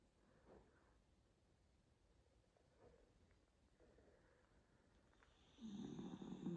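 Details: Miniature dachshund snoring: soft, breathy snorts recur at uneven intervals of one to two seconds, faint and low-pitched, then a louder, fuller rush of sound swells near the end.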